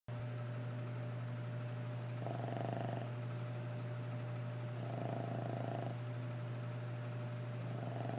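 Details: Sleeping dog snoring indoors, a soft raspy rasping breath swelling roughly every two and a half seconds, each snore lasting under a second, over a constant low hum that runs throughout.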